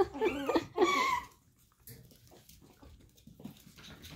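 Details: Daisy's Chihuahua puppies: two high, wavering whimpering yelps with rising and falling pitch fill the first second and a half, then faint scattered squeaks and soft rustling follow.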